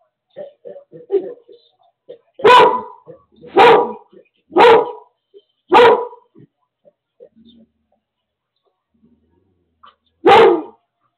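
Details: Seizure alert dog barking indoors while its owner has a seizure, with no one else home: soft vocal sounds first, then five loud, sharp barks about one per second, a pause, and one final bark.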